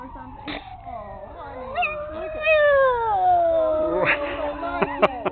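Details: Black pug reacting to a fire truck siren with a sustained howl that slowly falls in pitch, layered with wavering wails and several brief sharp clicks toward the end.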